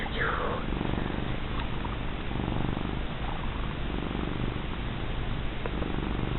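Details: A large, fat female cat keeps purring as she is petted and rubbed: deep, even, rattling purr with a fast steady pulse, a brief spoken word at the start.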